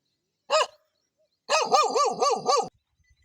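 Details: Dangerous dog barking in a village: one sharp bark, a second's pause, then a fast run of five ringing, arched barks in quick succession, with no other sounds.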